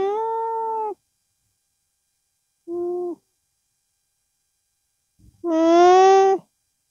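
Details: Llama with its young, humming through its nose to express itself: three steady, tonal, nasal hums, a one-second hum, a brief softer one, then a louder drawn-out hum that rises slightly in pitch.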